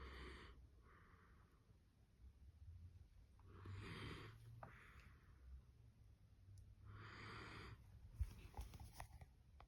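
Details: Dachshund asleep after tiring out, eyes open, in a multi-dog household: wheezy, snorting snores in uneven bursts, about four noisy breaths, low and rough with a hissing edge, indoors.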